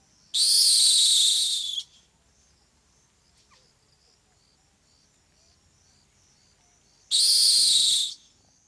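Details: At night on the African savanna, a rock hyrax (dassie) lets out two harsh, rasping screams about six seconds apart, each roughly one and a half seconds long and loud and high, separated by near silence with faint insect-like ticking.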